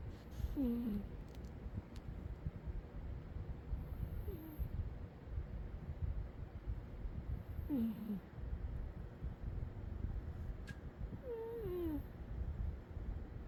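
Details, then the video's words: Umi the cat, asleep and snoring: soft whistling squeaks that fall in pitch return roughly every four seconds in a steady breathing rhythm, with faint airy hiss between them over a constant low rumbling background. "Umi the cat sleeping and snoring"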